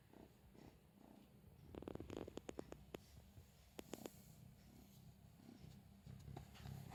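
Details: Four-month-old female straight-eared Scottish Fold kitten playing with a cat teaser toy indoors on April 10; a low, steady rumbling purr runs throughout, broken by sharp clicks and rustles from the toy around the middle.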